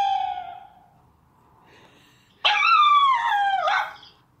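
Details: Dachshund puppy beside a tablet gives a soft falling whine, then, after a pause, a louder drawn-out whining howl lasting about a second that slides gradually downward in pitch; quiet indoor background.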